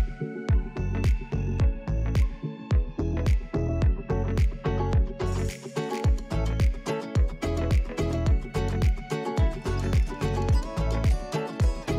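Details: Rhythmic music with a steady thumping bass beat and layered instruments plays the whole time.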